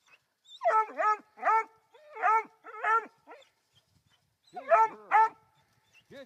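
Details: Female Black and Tan Coonhound puppy, three months old, born January 6 2013, barking up a tree at a raccoon; a rapid run of paired, chopped yelping barks, two pairs, a pause, then another pair.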